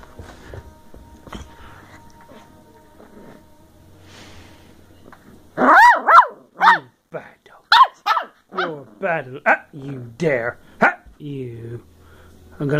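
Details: Molly, a 10-week-old Bedlington Terrier puppy from a working strain, brought from the hills of South Wales, playing on 14 December 2013: quiet opening, then a burst of high yappy barks and growly yelps over the second half while a person teases her.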